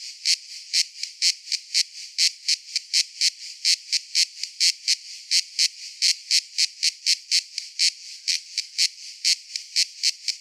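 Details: Cicada song of rapid, harsh high-pitched pulses repeated in an even train, each burst brief and rasping, set against a faint continuous whine.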